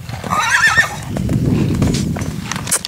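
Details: Purebred Lusitano horse, recorded on 28 September 2019: a brief harmonic whinny sounds in the first second, then gives way to low rumbling noise and a short clatter at the end.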